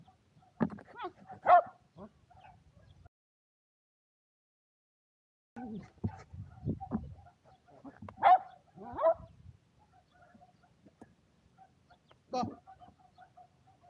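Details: Shetland Sheepdogs Power and Beat playing frisbee together on a sunny 23 February 2022; sparse, sharp barks come in short bursts separated by long quiet gaps, with light rustling in between.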